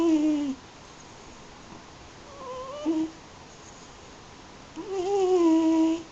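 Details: Yuzu, an eight-year-old Munchkin and American Shorthair mix cat, asleep indoors. Snores every day. A few tonal, whistle-like snore sounds, each about half a second to a second long, spaced irregularly with quiet breathing between them.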